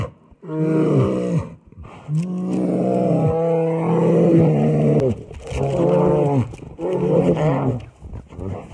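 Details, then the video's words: Brown bears fighting fiercely, a mother bear attacking a male to protect her cubs; loud, deep harmonic roars in long bursts, several rising and falling, separated by short pauses. "5 minutes worth watching the bear fight fiercely,Mother bear protects her cubs"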